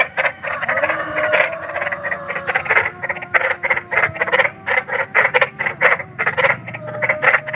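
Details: Big frog (kodok besar) calling outdoors, its voice described as eerie: fast trains of buzzy, rasping croaks, many pulses per second, with a faint tonal hum running beneath the chorus.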